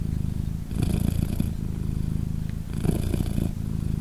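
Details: Low, continuous purring from Polina, a British Shorthair mother cat cuddling three newborn kittens aged 3 days; the rumble strengthens in two breath-linked surges about two seconds apart.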